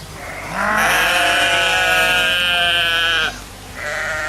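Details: Drawn-out sheep bleat of nearly three seconds, rising in at the start and wobbling steadily, followed by a quieter second bleat.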